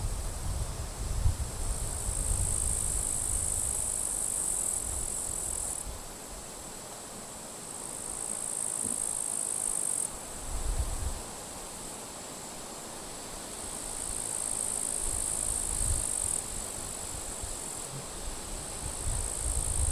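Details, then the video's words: Grasshoppers in dry summer grass at a forest edge, end of July, strong wind driving clouds; shrill, high buzzing bursts of a few seconds alternate with gaps, while heavy gusts of wind rumble and surge throughout. "Wind noise and grasshoppers crackling"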